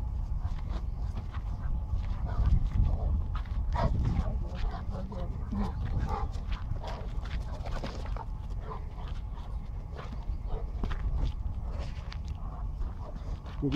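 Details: A 7-month-old Bull Terrier and a 3-year-old Cane Corso together, giving soft whines and low growling sounds amid scuffling, over steady low wind rumble with brief human voices in the background.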